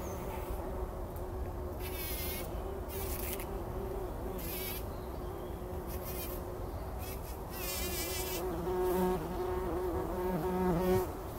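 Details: Several bumblebees roll in poppy blossoms early in the morning before sunrise, taking a pollen bath. A steady low droning hum wavers slightly in pitch and swells toward the end, with brief rustling bursts now and then.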